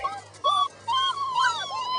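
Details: Five-week-old puppies such as Spark and Voodoo whine in the yard: two short high whines, then a longer wavering whine that slides up and down, over a faint low hum.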